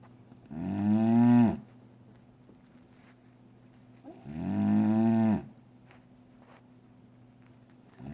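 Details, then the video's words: Sleeping female dog next to her owner's desk snores in slow, regular breaths, each a droning, gently rising tonal snore lasting about a second, roughly every three and a half seconds. "Snoring dog"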